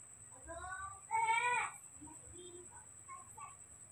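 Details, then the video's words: Newborn baby monkey, hand-raised at home, screaming to be fed milk: a short wavering squeal, then a loud, shrill, harmonic-rich scream lasting about half a second, followed by faint soft chirps while a person speaks quietly nearby. "newborn baby monkey started s¢r€amiπg, calling for daddy to drink milk"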